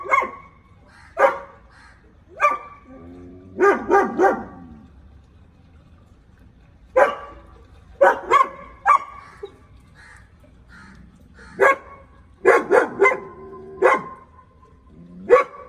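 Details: German Shepherd barking at an intruder, loud broadband barks in short bursts and rapid double and triple runs separated by quiet pauses, some with a growly tail; no other clear sounds.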